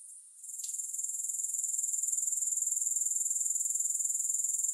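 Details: Continuous grasshopper chorus fades in after a quiet start, then settles into a dense, even, high-pitched pulsing hiss that holds steady to the end, with no music.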